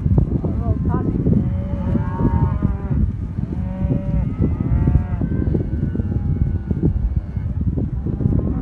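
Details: Black Angus heifers and cows in southern Córdoba giving repeated long, wavering moos one after another, harmonic calls rising and falling over steady low background herd noise.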